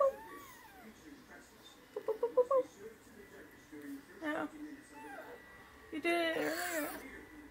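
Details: A pet male fennec fox gives high, whining, phone-ringing contact calls, normally used to get his owner's attention, and then indoors a quick run of grumpy chattering squeaks when pestered while sleeping.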